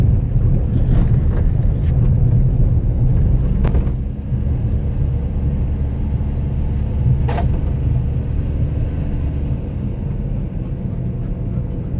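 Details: A continuous low motor rumble from a car fills the recording, with a few short clicks and a brief jangle; no animal sound is heard.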